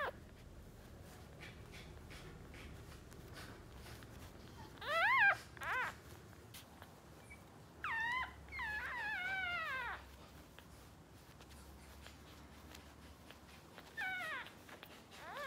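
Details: Two-day-old West Highland White Terrier puppies, a boy and a girl, let out occasional brief high-pitched squeaky cries in small clusters, with long quiet stretches between them and a low room hum.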